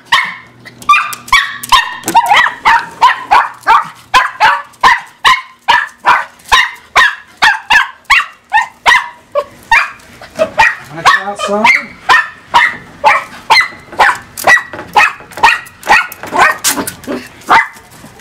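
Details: A 2-year-old Miniature Pinscher barks nonstop in sharp, high-pitched yaps, more than two per second, excited to be let out into the back yard as she always is.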